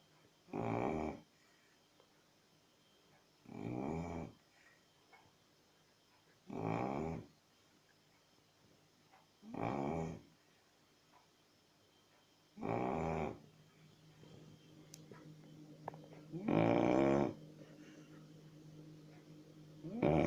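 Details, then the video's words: Chow Chow dog snoring in a small room: seven gravelly, rattling snores at regular intervals of about three seconds, growing slightly louder toward the end over a faint steady hum. "Chrapiacy Snoring Chow Chow"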